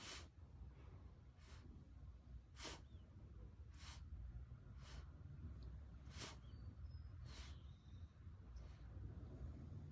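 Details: A blue French bulldog with kennel cough gives a run of short, dry, harsh, hissing coughs about once a second, over a steady low background rumble.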